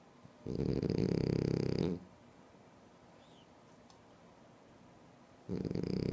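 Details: A sleeping French Bulldog snores indoors: two loud, rattling, throaty snore bursts about five seconds apart, each lasting over a second with a fluttering buzz, separated by quiet breathing.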